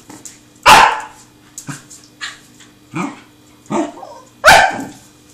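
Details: Seven-month-old Pembroke Welsh Corgi named Truffle chasing a tin can: two loud sharp barks frame several softer yips and short huffs, spaced roughly a second apart.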